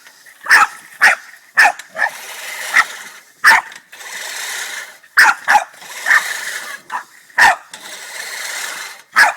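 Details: Boston Terrier, a male, is pissed off at a push lawnmower, giving sharp, harsh barks in a steady run, roughly one or two a second, with a growly edge and mechanical noise beneath.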